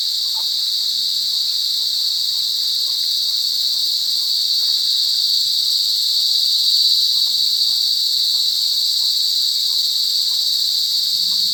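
Cicadas give a loud, steady, high-pitched buzz that drones on without pause.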